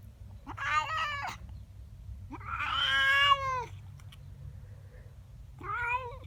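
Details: Domestic female cat, upset by another cat in her garden in the morning, utters three harsh, wavering yowls, the middle one longest and loudest with an arching, rough tone; quiet background hum between calls.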